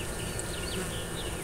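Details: A steady, low hum of a wild honey bee colony that bypassed a trap-out and moved into the next tree, heard up inside the hole-riddled tree, with faint higher whines from passing bees and a few soft speech sounds.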